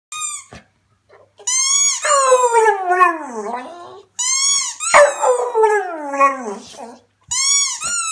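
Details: A Staffordshire Bull Terrier indoors, wearing a bow tie and performing a 'singing' show for an audience, gives two long wavering howls that start high and slide downward, with short yips before and after and brief silent pauses.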